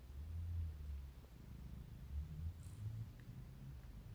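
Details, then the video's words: Domestic cat yawning and purring: a quiet, deep, steady rumble with a few slightly louder throbbing pulses in the first half, no other clear sounds. "Yawning & purring"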